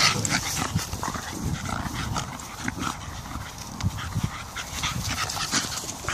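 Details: Staffordshire bull terrier pups, 16 weeks old, male and female, playing outdoors with their grandmother near the Papal Cross in Phoenix Park, Dublin, Ireland; short scattered yips and whimpers over rustling and low rumbling wind.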